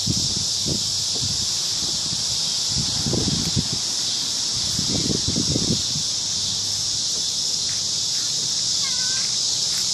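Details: Evening cricket chorus from a big cottonwood tree at a park, a continuous high-pitched hiss-like trill without pauses; low bumps and rustles midway and a faint brief chirp near the end.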